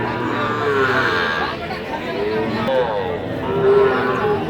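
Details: Sahiwal calves at a market, a farm-suited breed, give long, wavering moos that overlap one another, while people chatter and haggle close by in a crowded outdoor setting.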